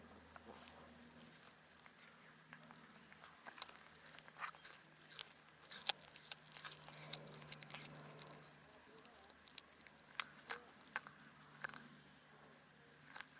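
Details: Harbour cat on a cat island gnawing raw fish handed over by anglers, a black cat eating intently; a steady run of crisp crunches and wet clicking bites for over ten seconds, with a faint low hum underneath.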